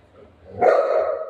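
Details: Golden Retriever playing with its owner at home gives a single short bark after a quiet start, the sound loud and mid-pitched with a bright upper edge.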